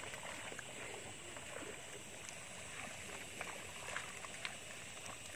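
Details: Quiet outdoor hiss with a trickle of water, faint engine hum and a few soft clicks, with no animal calls.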